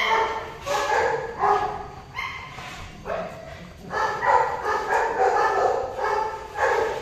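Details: Golden retriever dog whining while mating: a steady series of pitched, strained whimpers and yelps about every half second to second, fairly loud and continuous throughout.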